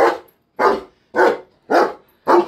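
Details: A pet German Shepherd gives five loud, deep barks in steady succession, each a short full-throated woof spaced roughly half a second apart, with clean silence between them and no other sounds.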